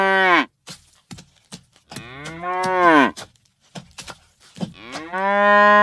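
A cow gives several loud, drawn-out moos with rich harmonic tone.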